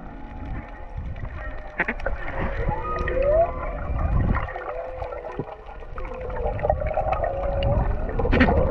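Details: Underwater whale calls off Hawaii, recorded while freediving: drawn-out tonal moans and a brief rising whoop over low rumbling water noise.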